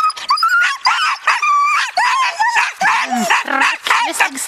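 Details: Excited Siberian Huskies, yearlings plus six-year-old Ravn, ahead of a spring run in 2011. Rapid string of rising and falling whines and yelps with lower, rougher barks toward the end. A person talks in Norwegian nearby.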